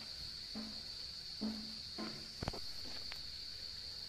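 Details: Nepalese Himalayan cicada chorus heard while hunting for wild mushrooms, a continuous shrill tone sustained throughout, overlaid by a few short low murmured sounds and a sharp click near the middle.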